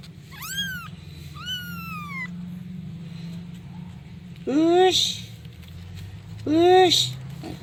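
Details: A kitten calls for its mother with four loud, drawn-out meows: two falling cries close together, then two stronger rising-then-falling calls about two seconds apart, over a low background hum.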